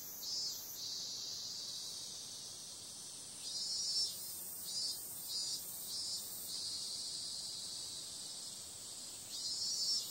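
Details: Summer-night cicada chorus: a continuous high, shrill drone, with louder swelling pulses near the start and again in the middle and at the end.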